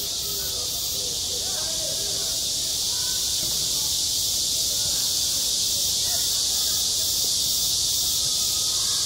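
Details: Midsummer cicada chorus over a school playground, a loud, unbroken hissing buzz filling the high range with a subtle pulse, with faint distant voices murmuring underneath.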